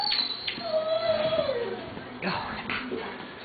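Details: Six-week-old Doberman Pinscher puppy that dislikes being held on its back gives a drawn-out whimper sliding steadily downward over about a second and a half, with a person talking soothingly and music playing underneath.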